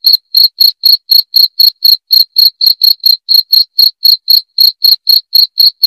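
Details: Rat-repelling cricket sound, loud high-pitched chirps repeated evenly about four times a second throughout, each pulse short and ringing, with a clean silent background.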